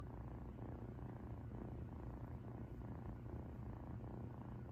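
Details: Ūtan, a female rescued cat, purring while relaxed, as if sleeping right beside her: a steady low rumbling purr pulsing in even cycles about twice a second, close and loud, with no other sounds.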